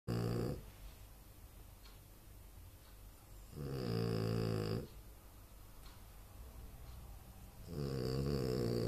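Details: French Bulldog Anton Speck snoring in his sleep: three long, low, rasping snores about every four seconds, each a buzzy rumble with a rattling overtone, separated by quieter breathing.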